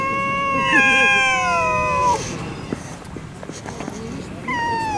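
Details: Stray cats fighting in a Russian city: a long, tense, wavering yowl holds for about two seconds and then breaks off. After a lull with scuffling, a second drawn-out yowl begins.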